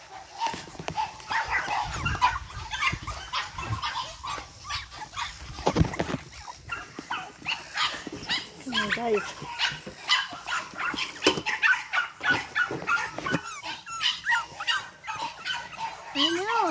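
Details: Eight-week-old Boston Terrier puppies from Charm's litter, lively, whining with rising and falling squeals and short yips, among scuffling, bumps and a human voice.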